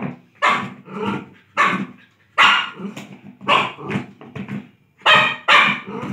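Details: Barking from a playful Lhasa Apso: a steady run of strong, rough barks roughly every half second to second, ending in a loud double bark.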